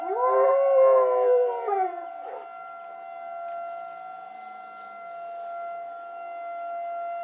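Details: A pet dog named Coach answers a tornado siren with a sustained, slowly falling howl that lasts about two seconds. After that only the siren's steady, unbroken tone remains.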